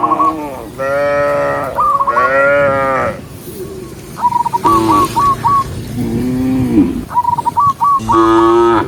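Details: Herd of dozens of cows travelling a forest road; a steady run of deep, wavering moos, one after another, with bursts of rapid high whistled notes repeating throughout.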